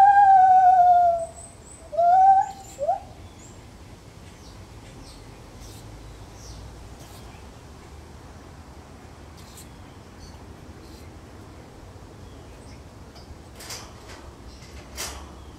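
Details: Lar gibbon calling in a zoo: a few loud rising whoops in the first three seconds, then quiet background with faint clicks and rustles.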